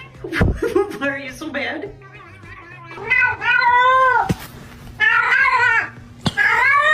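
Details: Cats meowing: a hoarse, wavering cry and human chatter at first, then three loud, drawn-out meows, each bending up and down in pitch, with a soft hum beneath.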